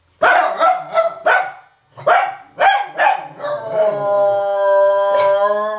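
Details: Three dogs, a parent and its puppies, howl together in 2009: a few sharp barks and yelps open, then a sustained, steady harmonic howl holds for about two seconds.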